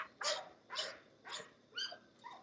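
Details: English Bulldog at a home kennel, five sharp broadband barks spaced about half a second apart, each rough and bright, over a low background hum, the last bark softer.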